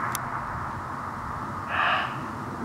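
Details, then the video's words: Muntjac barking from a miscanthus (elephant grass) field near a pylon at the eastern edge of Rudloe, around 7pm on 30 December 2013; one short harsh bark late in the clip over steady low background hiss, with a brief click near the start. "Muntjac barking in miscanthus at Rudloe"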